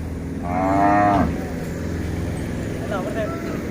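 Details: Hallikar cow at a cattle fair, the Siddaganga cattle fair in Kyatasandra, Tumakuru; one drawn-out harmonic moo of about a second, slightly rising then falling at the end, over crowd murmur and engine hum, with brief speech afterwards.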